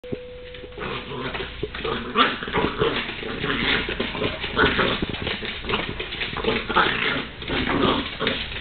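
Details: Wire Fox Terrier puppy, female, attacking a broom: busy, harsh scuffling noise with rough, growly bursts running almost continuously, swelling louder around two and five seconds.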